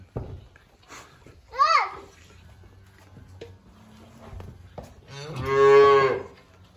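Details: Hungry calves bawl at feeding time while waiting for milk: a short rising-falling cry, then a long, loud, harmonic moo near the end. A person speaks quietly before the calls.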